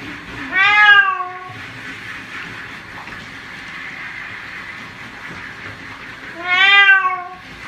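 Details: Pet cat during bathing lets out two strong, slightly falling meows about six seconds apart, with a continuous broad hiss between them.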